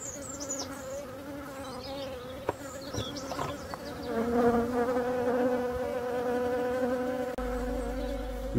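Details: Worker bees and drones at a queenless, drone-laying hive entrance on 5 February 2022 give a steady, low droning buzz, the drones' heavier flight clearly heard; a European robin's thin, high notes come through faintly early on.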